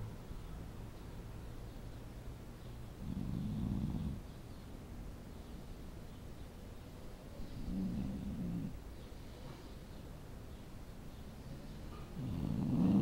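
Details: Sleeping dog snoring: low, rumbling breaths come in bursts of about a second, roughly every four to five seconds, over a steady soft hiss.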